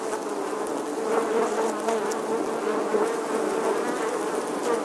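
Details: Steady droning hum of many honey bees at a nest in the stone wall of an ancient English church, August 2020; a thick, even buzz with overlapping wingbeat tones and small surges as bees fly close.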